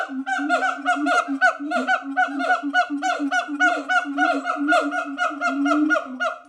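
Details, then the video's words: Siamangs at a sanctuary calling in a rapid, continuous run of barking, harmonic hoots, about three to four notes a second, fairly steady in pitch. "Sounds of siamangs.."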